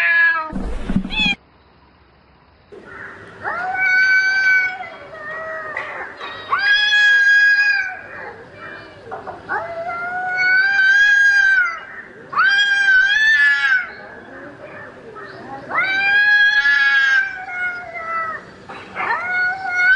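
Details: Domestic cat calling for a mate at night: long, drawn-out wavering yowls, each lasting one to two seconds, rising and falling in pitch, repeated in irregular bouts with short pauses between them, after a brief burst of noise at the start.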